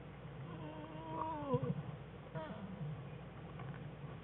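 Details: American black bear cubs curled up with their mother in a winter den on February 21, 2013, playing; a cub cries in two wavering, drawn-out harmonic wails that fall at the end, over a low steady hum.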